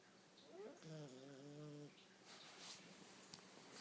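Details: Afternoon nap of a female Dachshund called Buna, snoring loudly: a rising breathy intake leads into a steady, humming nasal snore of about one second, followed by quiet breathing and faint rustles.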